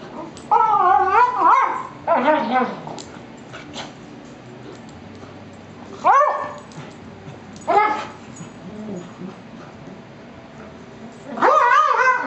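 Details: Two Beagles play rough, the older one giving warnings to the young male; a long wavering howl-bark opens, followed by shorter yips and barks spaced several seconds apart, with a faint voice once.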